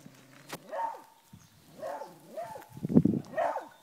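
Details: A hunting beagle bays at a wild boar it is holding at bay, in short, arching, slightly wavering yelps repeated about every half second.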